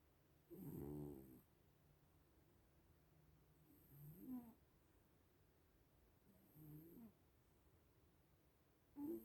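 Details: Little cats asleep and snoring, soft wheezy breaths recurring roughly every three seconds. The first is longest and strongest, the later ones shorter with a rising squeak, over a low steady hiss and a faint high whine.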